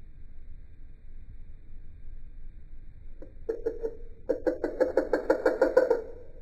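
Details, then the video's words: Male eastern dwarf tree frog, recorded without added sound effects, using different techniques for different calls: after about three quiet seconds, a few short nasal pulses, then a fast rasping train of croaks at roughly six per second, growing louder. "Different throats for different croaks?"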